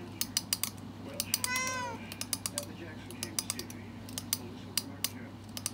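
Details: Domestic cat during a TikTok trend reaction gives a single short meow that bends downward, surrounded by frequent sharp clicks like tapping on a screen and a steady low hum.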